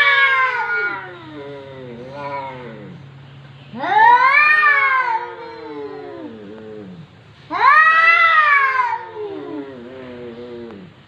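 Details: A domestic cat known as a talking cat, recorded in 2020, produces three long, yowling meows that swell and bend in pitch, spaced a few seconds apart over a faint steady low hum.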